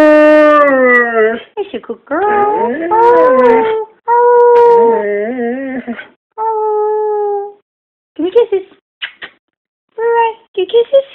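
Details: Owner coaxing a pet dog into howling: several wavering, sliding howls at first, then shorter level tones and brief yips fading into quiet, with a person's voice mixed in.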